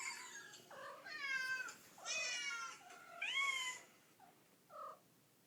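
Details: Mother cat responding to kittens' meows with three strong, drawn-out meows, the last rising upward, then two short, soft chirping mews as the calls fade away.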